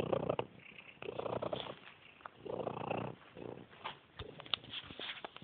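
A monkey gives a soft, rumbling purr in a few low, rolling bursts.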